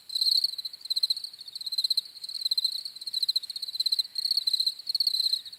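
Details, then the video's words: Crickets giving rapid, shrill pulsed chirps in short rhythmic bursts roughly every half second, a clean insect chorus without other noise. "CRICKETS CHIRPING SOUNDS"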